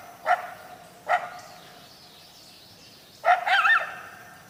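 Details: Coyote voice: two short, abrupt barks about a second apart, followed after a pause by a quavering, yipping high howl that wobbles up and down.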